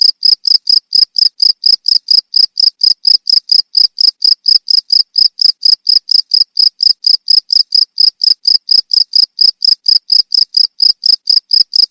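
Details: Rapid, regular cricket chirping used to repel rats: piercing high pulses about two per second, steady and uniform throughout, in clean quiet surroundings.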